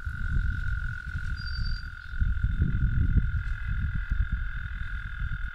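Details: An American toad sings one continuous, steady, level trill lasting the whole stretch, accompanied by heavy low rumbling noise like wind, and a brief faint higher whistle near the start.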